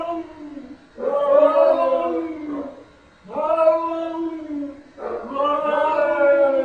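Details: Cats in conversation: three long, rich yowls, each lasting roughly two seconds with a slight waver, separated by short quiet gaps and recurring at a steady pace.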